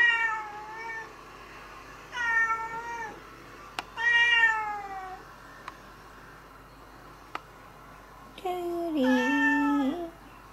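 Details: Stray and domestic cats around a house in spring; a series of drawn-out meows with clear harmonics, some falling in pitch, repeated with pauses, ending in a longer wavering, warbling meow.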